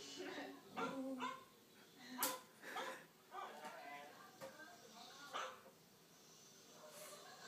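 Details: Puppy barking at a dog on TV, its short yappy barks coming in uneven bursts, mixed with voices and other sounds from the television, with a loud click near the middle.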